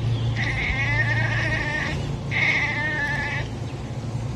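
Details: Egyptian Mau cat chirping: two drawn-out, wavering trills, each about a second and a half long, with a short pause between them and a steady low hum underneath.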